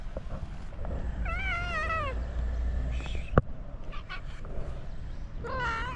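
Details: Moroccan stray cats greeting their feeder with meows. A long, wavering, drawn-out meow is followed by a sharp click, then another rising meow at the end, over steady low background noise.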